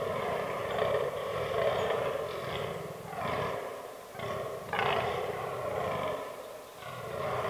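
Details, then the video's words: Fallow bucks during the autumn rut in woodland. Short, gravelly groans come in separate bursts with brief quiet gaps between them, some louder and sharper than others. "Fallow Deer Rut 2022"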